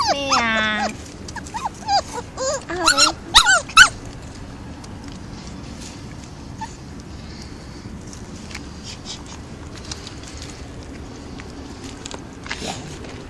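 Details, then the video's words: Stray puppies at a construction site, noisy while asking for food, give a burst of shrill, wavering yelps and whines over the first four seconds, then fall mostly quiet with faint background noise. "Construction site stray puppies series - yelling and asking for food"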